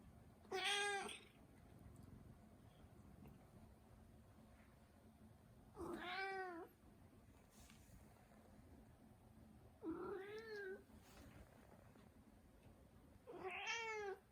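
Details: Four separate meows from a Turkish Angora cat about four seconds apart, some bright and higher, others short and arched, over quiet indoor background.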